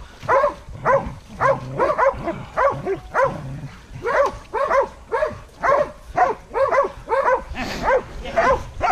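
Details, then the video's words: Baying hunting dogs facing a wild boar: a continuous run of short, sharp barks nearly two per second, evenly paced, with a few lower grunting sounds mixed in and overlapping voices toward the close. "HUNTING DOGS VS WILD BOAR"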